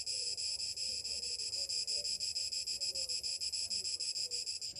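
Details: Cicadas on a summer morning give a loud, continuous high-pitched buzz with rapid regular throbbing, dense and unbroken across the whole stretch.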